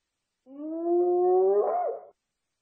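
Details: Hyena giving a single drawn-out whoop lasting about one and a half seconds, a smooth tone rising slowly then bending up and down sharply at the end, with no other sounds around it.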